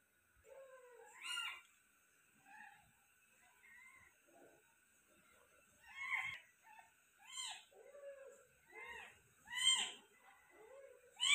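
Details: Persian cat, giving birth to five kittens, heard during the delivery: short, high, thin mews in uneven bursts, some rising then falling, repeated roughly every second or two, with quiet gaps between.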